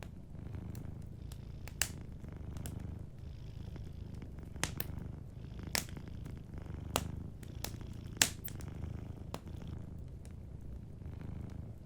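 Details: A low, gentle purr from a dozing cat runs beneath busy fire crackling. The purr waxes and wanes with each breath while bright pops and snaps from the fireplace burst out every second or so.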